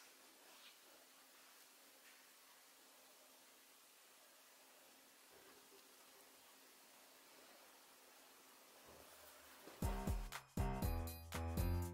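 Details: Near-silent room hiss gives way to loud, rhythmic music in the last two seconds, with no animal sound.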